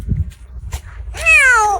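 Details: Tiny injured stray kitten, in pain and cold, utters one soft, fragile, plaintive meow that slides gently downward, after a few faint clicks and low background hum.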